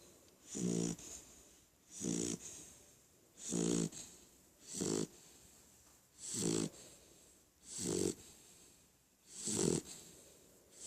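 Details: Snoring of Ramon, a Beagle puppy asleep: steady low, raspy snores with airy hiss, one on each breath roughly every one and a half seconds, seven in a row.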